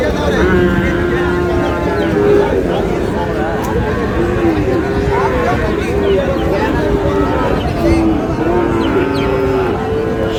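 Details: Sahiwal bulls and heifer calves at a cattle market, bought by a farmer from Barisal on 19 August: low, drawn-out moos repeat through the scene, overlapping each other beneath steady crowd chatter and bargaining voices.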